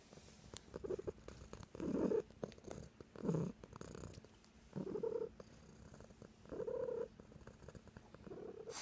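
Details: A house cat purrs with a rhythmic rise and fall. Loud rumbling phases alternate with brief quiet gaps about every one and a half seconds, and nothing else competes.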